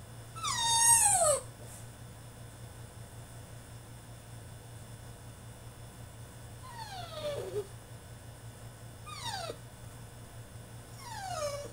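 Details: French Bulldog throwing a tantrum in his cage: a loud high whine falling in pitch at the start, then three shorter descending whimpers spaced a few seconds apart over a steady low hum.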